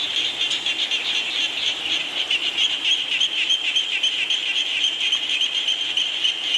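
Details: A chorus of frogs in the rain gives a continuous shrill, buzzy trill of quick pulses, with a constant wash of rain noise behind it.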